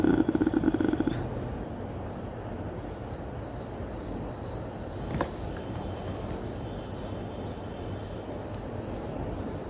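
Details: Pet domestic cat resting comfortably and dozing, purring as a steady low rumbling drone throughout, with a brief louder buzzy burst at the start and a soft click midway; a person speaks softly nearby around the recording.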